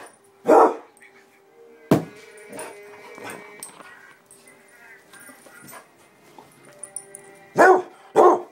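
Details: Two pet Basset Hounds in an excited moment: single loud barks near the start and a close pair at the end, with softer whines and household murmur between.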